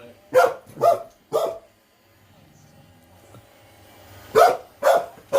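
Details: Female terrier barking in fear at a robot vacuum, running off and coming back; three sharp, loud barks about half a second apart, a quiet pause of nearly three seconds, then three more quick barks.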